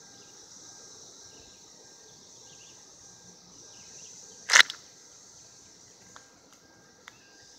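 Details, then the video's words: A shrill, even cicada chorus, recorded in 2016 during mating, runs steadily through the recording, broken once by a loud sharp click and later by a couple of small taps. "Cicadas 2016 mating"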